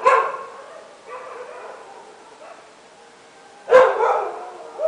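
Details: Dogs barking at midnight: two short, harsh, noisy barks, one at the start and a louder one near the end, separated by a quieter stretch of faint calling.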